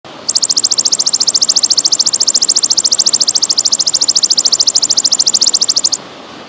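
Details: A golden grasshopper gives a long, high, buzzing trill of fast, even pulses lasting several seconds, heard with trickling water.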